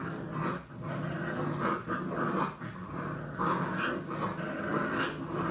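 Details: Puppy play-fighting within an active litter: continuous low, gravelly growling with rough rising and falling bursts and a few sharper whiny notes, close and fairly loud.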